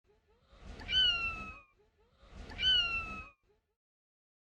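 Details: A domestic cat gives two short, light mews, each sliding slightly downward in pitch. This is a light greeting "nyang" given to friendly fellow cats, but mostly to humans, meaning something like "hi, you're back."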